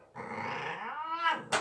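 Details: Domestic cat being showered indoors gives one drawn-out, strained meow that climbs in pitch towards the end, cut off by a sharp clatter.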